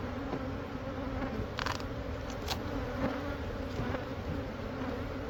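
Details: Honey bees from a hive that had lived a few months inside the wall of a Catholic church building near a school in Monrovia, during removal. A dense, steady low buzz hums throughout, with faint clicks.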